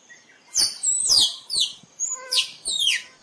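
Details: Rapid series of six shrill squirrel squeals, used as a decoy to bring squirrels close for photos, each high note sliding downward, grouped in two bursts with brief pauses and a faint background hiss.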